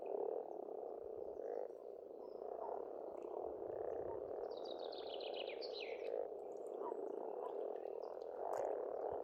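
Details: Frogs croaking in a dense continuous chorus at an Estonian farm pond in spring, pulsing low notes, with a short burst of bird twittering in the middle.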